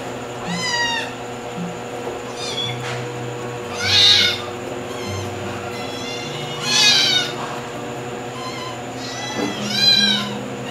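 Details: White kitten at home giving repeated drawn-out meows, some bright and squeaky, others arching up and down, roughly every two to three seconds, with soft music playing underneath throughout.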